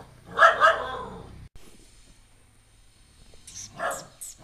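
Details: Household dog barking at a new stray puppy brought home: two quick sharp barks at the start, a long quiet gap, then a couple of softer barks at the close.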